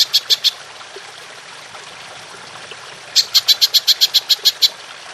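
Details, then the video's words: Golden grasshopper call from a songbird training recording in the long-shooting style: a short burst of three high, crisp clicks, a pause of near silence, then a run of about ten rapid ticking pulses. "Belalang Emas Nembak Panjang"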